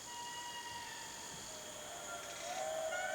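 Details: Indri in dense Madagascar forest give a far-carrying territorial wail: long, sustained tonal notes that slide down, then rise again, as a neighbouring group answers.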